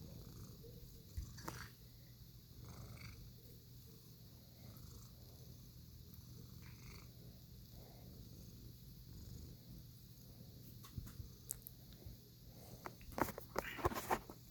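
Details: Pet cat purring quietly: a soft, low, steady rumble pulsing several times a second throughout, with faint scattered clicks and rustles near the end over a steady background hum.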